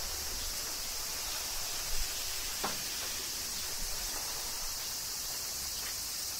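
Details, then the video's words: Cicadas in Kyoto, Japan, during summer rain: an even, hissing high-pitched drone fills the whole stretch, over faint low rumble and a few scattered drips. "Cicadas Summer Rain - Zen Sounds of Kyoto, Japan"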